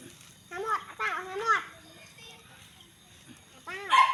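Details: Puppies after their owner's snacks let out short, high, arching whines, three in a quick run near the start and one more after a pause, with people talking nearby.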